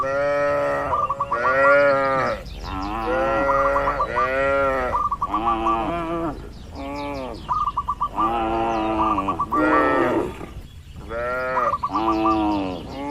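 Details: Herd of tame cattle wandering and feeding across a broad, green oil palm plantation; a steady run of arched, harmonic moos about every second or two, overlapping from several animals, mixed with quick stuttering pulsed notes.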